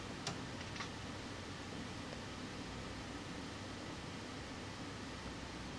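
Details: Indoor fan-like hiss runs throughout a small room, broken only by a couple of faint clicks near the start, with no animal sounds.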